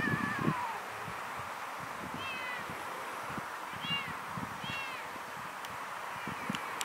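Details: A little kitten crying alone, giving three thin, high arched meows around the middle of the stretch, each rising then falling, spaced about a second apart, over steady outdoor background noise with low rumbling and occasional clicks.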